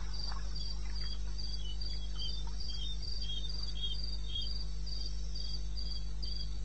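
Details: Night chorus of crickets in wild eastern Botswana, recorded around 2:30 am on 21 May: bright, high, evenly spaced chirps repeating about four times a second, with fainter chirping behind and a steady low droning hum underneath.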